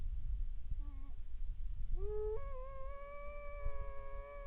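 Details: Grey wolves howling on a moonlit night near a hunter's hide by a watermelon field in Krasnodar Krai, Russia, pack of eight; faint, drawn-out tonal howls, a short one then a long steady rising one, over low rumbling background noise.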